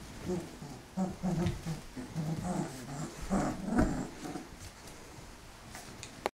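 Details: Golden Retriever puppies 27 days old, indoors; low rumbling play growls in repeated short bursts through the first four seconds, then quieter shuffling.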